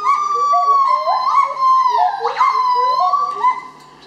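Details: Gibbons singing at Dusit Zoo in Bangkok, Thailand: clear, pure whistled notes sliding up and down, with a sharp rising swoop midway and long wavering tones that fade toward the end.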